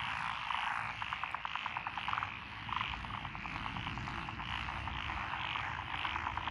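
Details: Lotus rice paddies by a rural lane in Echizen, Fukui, Japan, June 2021, full of calling frogs, among them Japanese tree frogs and Schlegel's green tree frogs. Fast rattling trains of croaks repeat over a dense steady chorus.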